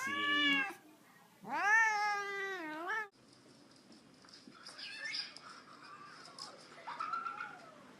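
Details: Domestic cat from a cute, funny cat compilation, loud, clear meows: a short one, then a longer drawn-out meow bending up and down, followed by quieter mixed sounds and a faint later call.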